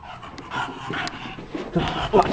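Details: Bulldog playing in a basement, quick breathy panting with a soft whimper near the end.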